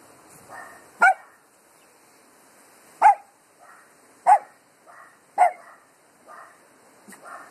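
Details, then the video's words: Dogs barking at the wind, recorded on an Android phone: loud, sharp single barks spaced irregularly about one to two seconds apart, with a second, fainter dog answering in softer, higher barks between them. "Dogs barking at wind"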